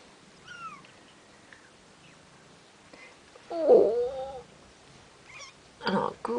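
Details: Two-week-old Bengal kittens from Ariel and Dream's litter mew in a quiet room: a faint falling squeak early, then a loud wavering cry, followed by two shorter rough meows close together.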